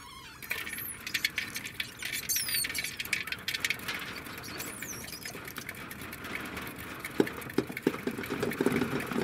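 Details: Degu giving a few high, sharply bending chirps and squeaks in short bursts, set against constant rustling and tapping patter with occasional clicks.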